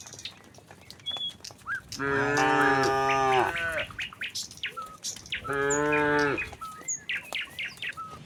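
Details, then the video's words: Tame cattle in a herd walking calmly from the next village toward the pen in the countryside; two long harmonic moos a few seconds apart, with scattered bird chirps and footstep-like clicks between them. "suara sapi moo"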